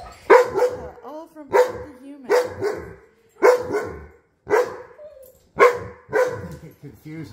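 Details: Wolfdogs and a wolf puppy howling together indoors, set off by one jealous dog and then another howler. Loud, harmonic, yelping notes recur roughly every second, with softer wavering tones between them.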